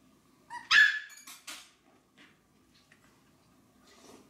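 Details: Maltese begging to be fed gives one sharp, loud yip-like bark, followed by two softer clipped barks and then near silence with a faint whimper at the end.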